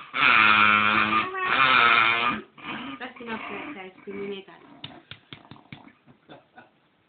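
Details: Pet dog 'talking' because it wants to be stroked more while having its belly rubbed: two long, loud, groaning, voice-like moans, then shorter wavering murmurs that trail off into quiet clicks and taps.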